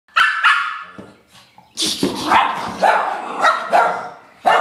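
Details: Two pet dogs playing together, giving a run of sharp, harmonic barks and yips in quick bursts, several closely spaced, with brief quieter gaps between volleys.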